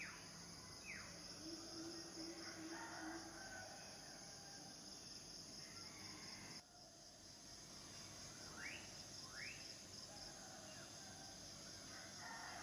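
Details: Shrill, steady cicada buzzing persists throughout, dipping briefly near the middle, accompanied by a handful of quick descending bird chirps and a soft low tone early on.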